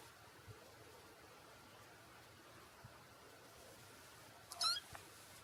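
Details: Black and white Exotic Shorthair kitten, a four-week-old male, lets out one brief, high squeaky mew near the end. The rest is near silence with soft room hiss.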